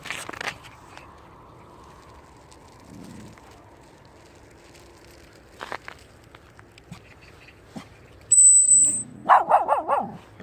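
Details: Jindo dog named Thunder out on a walk: after a quiet outdoor stretch, a short loud burst of yelping barks arrives near the end, alongside a thin high whistle-like tone.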